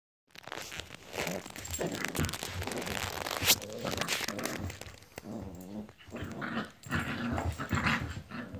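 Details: Two Italian greyhound brothers playing together indoors, producing low rumbling growls and snarls through most of the stretch, with scuffling and a sharp high squeak near the middle.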